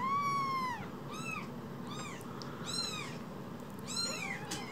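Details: Two small rescued kittens, about as big as a phone, with one loud, long, downward-curving mew first, then four shorter high cries about a second apart, over a low steady hum.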